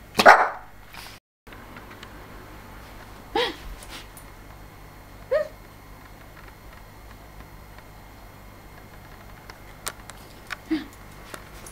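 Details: Yorkshire Terriers Lulu and Picasso at their first mating: one loud sharp bark at the start, then a handful of short, scattered yelps spread over the following seconds against a quiet indoor background.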